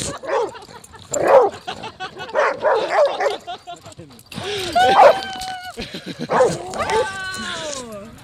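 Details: Several dogs tearing at each other while playing fetch; a few short barks and yips, then high drawn-out whining calls sliding downward near the end, mixed with human speech.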